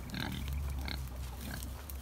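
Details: Backyard Kunekune pigs on a hobby farm heading to breakfast at feeding time, giving low, rumbling grunts that run together over steady low background noise.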